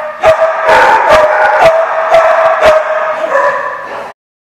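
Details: Dogs barking at a lot, recorded 24 August 2015; a continuous chorus of overlapping barks and yips, loud and dense, with sharp individual barks standing out roughly twice a second before stopping abruptly.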